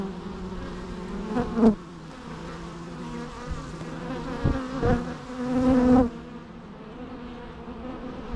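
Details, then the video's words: Close bee buzzing: several individual insects fly past, their whining drones swelling loudly for a second or so before fading back into a softer background hum. "natural bee sounds"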